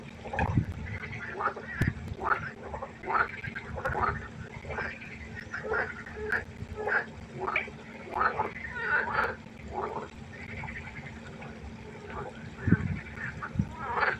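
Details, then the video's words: Frogs at a pond at night giving a run of nasal, quacking croaks in quick succession, one after another, over a steady chorus and faint hum, with a few low thumps. "1 Stunde Froschkonzert. Frosch Geräusche quaken."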